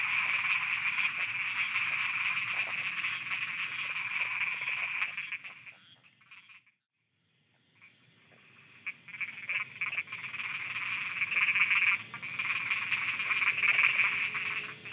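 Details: Frogs croaking at night in Thailand: a loud rattling chorus that drops to near silence for about two seconds midway, then builds back up to full, rapid croaking.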